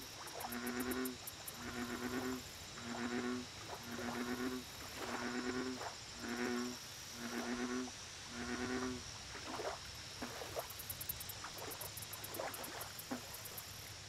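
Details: American bullfrog at a lake, giving a bout of about nine deep, resonant croaks, each under a second long, repeated roughly every eight-tenths of a second. A high, rapidly pulsing insect chorus and a steady background hum run throughout.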